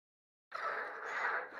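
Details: A male European tree frog (green tree frog, Hyla arborea) gives its advertisement call, a harsh, rasping, dense burst of rapid croaks lasting about a second.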